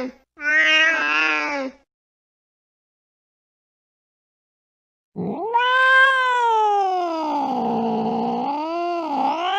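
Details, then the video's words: Late at night, a cat chasing a mouse gives one brief meow, falls silent for several seconds, then lets out a long, wavering wail that rises sharply and slowly sinks and swells again. "tiếng mèo đuổi chuột trong đêm khuya"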